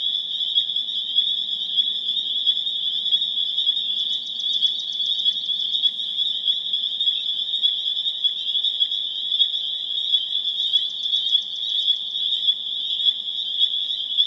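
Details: Chorus of spring peepers (Pseudacris crucifer) recorded April 27, 2011 in Harvard, Massachusetts: an intense, sustained high peeping drone, punctuated twice by bursts of rapid trilled notes above the steady wall of sound.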